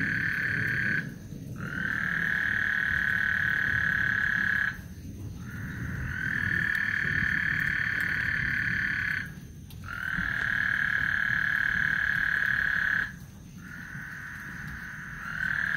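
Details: Before a thunderstorm on Lake Houston, frogs trill in long buzzy bursts of about three to four seconds, each separated by a brief silence, with a low rumbling backdrop throughout.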